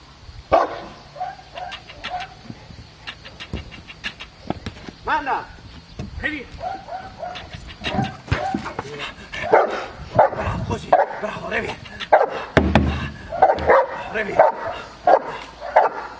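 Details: Aaron, a 14-month-old Cane Corso in IPO training at Cascina Crimea near Cavagliano, Italy, barks in rapid, uneven bursts over a long stretch, mixed with handler's voice, clicks and impact noises.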